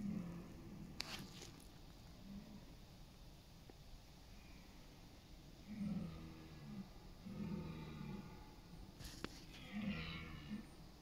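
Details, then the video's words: Distant red deer stags roaring in the autumn rut in East Serbia, late September, competing for mates; several fainter, low groaning roars come in short bursts under steady background hiss, with a few sharp knocks. "Roar of the Wild: Deer Rutting Season in Serbia’s Autumn Forests"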